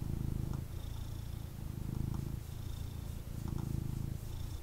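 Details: [1, 'yes', 'purr', 'A pet cat purrs intensely while being held and cuddled indoors by its owner; a steady low rumbling purr pulses in cycles of roughly a second, with faint rustling of handling.']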